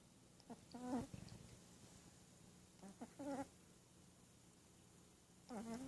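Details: Sleeping Shih Tzu puppy, snoring and dreaming: three short nasal, squeaky whimpering sounds with wavering pitch, spaced about two seconds apart, with soft breathing noise between them in a quiet indoor setting.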